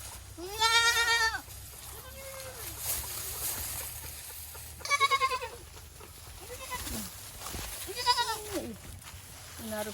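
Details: Goat on a local Boer goat farm in a Nepali village gives three loud, quavering bleats several seconds apart, with quieter human talk filling the gaps between calls.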